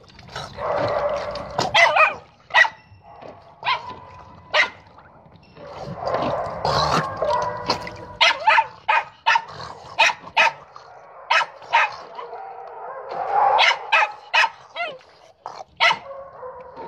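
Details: A dog playing with a ball gives a long, irregular run of sharp barks and higher yips, some in rapid clusters, over a steady background hum.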